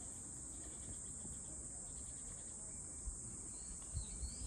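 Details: Continuous shrill cicada buzz holding one high pitch without pause, with a few soft thumps and a faint sweeping chirp near the end over a low background rumble.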